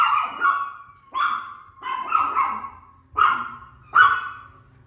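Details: Maltese dog reacting to cat sounds, giving five high, yelping barks with whiny, drawn-out tails, spaced roughly one per second.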